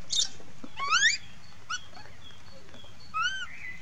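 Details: Monkey crying and calling for its mother: a few short, high, rising whistled squeals with clear harmonics, a quick pair near the first second and another about two seconds later, over faint background hiss.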